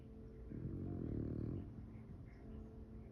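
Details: A French Bulldog sleeps with its face buried in a couch, snoring: low rumbling breaths swelling into a louder snore around the middle of the clip, indoors in a quiet room.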